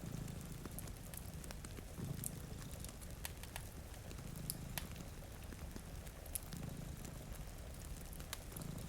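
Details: Gentle repeated purring rumbles from two cats asleep at a rainy window, swelling and fading about every two seconds among crackling fire and light pattering rain.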